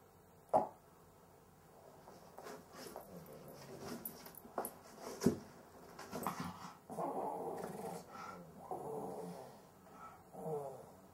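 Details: Cavalier King Charles Spaniel with difficulty breathing during sleep: sharp clicking snorts and gulps early on, then longer rasping, growl-like breaths in a slow uneven rhythm toward the end.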